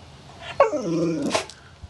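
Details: Pet dog 'talking', a drawn-out growly vocal sound with strong harmonics that slides downward for about a second, ending in a short breathy burst.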